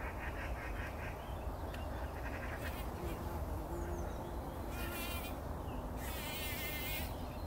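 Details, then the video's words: Several bumblebees rolling in poppy blossoms at dawn before sunrise; a faint low hum wavers across the middle of the recording, with repeated bird chirps and trills above and steady ambient noise. "Hummeln wälzen sich in der Mohnblüte – summend wird das Pollenbad angenommen"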